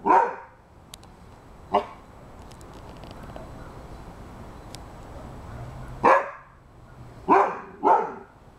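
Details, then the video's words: Dude, a Rhodesian Ridgeback aged eight months, barks at a cat and squirrel along the fence; a bark, a weaker one, a long quiet gap, then three loud barks in quick succession. "Rhodesian Ridgeback 8 months barking"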